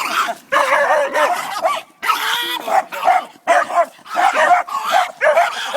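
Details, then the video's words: A pet dog barks at a chihuahua: a rapid run of harsh, loud barks and yelping bursts in clusters separated by brief pauses, continuing throughout without other clear sounds. "barking at a chihuahua"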